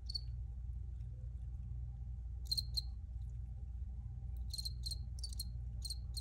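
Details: One high cricket chirp opens, a quiet pause follows, then a pair of chirps and a closing run of quick, evenly spaced high chirps, all over a low steady hum.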